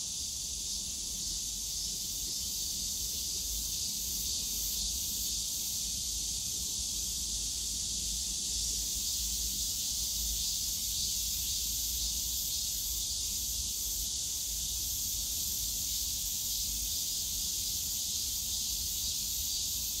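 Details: Summer-day cicada chorus in the bamboo forest of Yongsan Family Park, a continuous hissing high drone that holds level throughout, with a faint low hum of distant park noise underneath.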